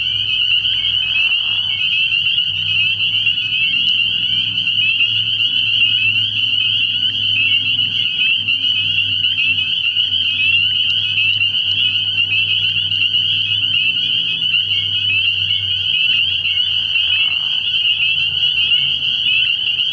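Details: Spring peepers calling in a dense nighttime chorus at a frog pond early in the year, merging into a steady high shrill band of overlapping peeps, with a faint low hum beneath.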